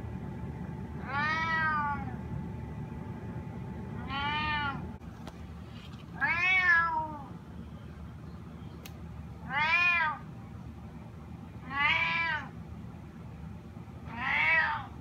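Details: Sushi, a spotted snow Bengal cat, meows to be let outside: six drawn-out, arching harmonic meows, each about a second long, spaced roughly every two seconds over a steady low background hum.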